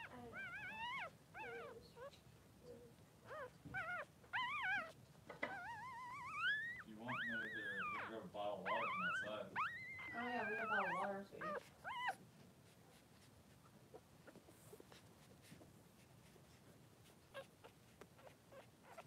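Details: Cavalier King Charles Spaniel newborns, two Blenheim boys aged 3 days, in Pom-Pom's puppy pen: rapid run of high yelping squeals and wobbling cries for twelve seconds, then quieter scattered clicks.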